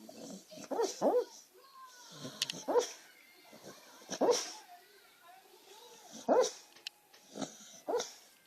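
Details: Female beagle mix asleep, talking, twitching and snoring in her sleep: muffled low woofs and short whimpering bursts come irregularly every second or two, with quiet gaps between them.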